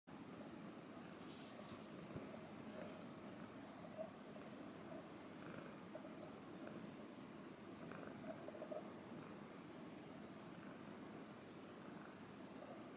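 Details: Female Ragdoll cat purring while eating breakfast and being brushed: a soft, continuous low rumbling purr, steady throughout, with faint scratchy brushing and small clicks and munching sounds.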